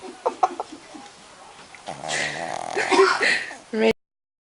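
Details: Maggie, a sleeping Shih Tzu, snoring: a raspy, buzzing snort with a low rumbling drone lasting about two seconds, after a few soft clicks and a quiet stretch, ending abruptly.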